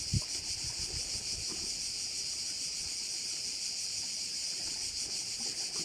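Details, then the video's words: Crickets at a bay on Korčula, Croatia, fill the air with a steady, high-pitched shimmering drone that pulses faintly, with a few soft low thumps near the start. "View of one of the bays in Korcula with sounds of crickets"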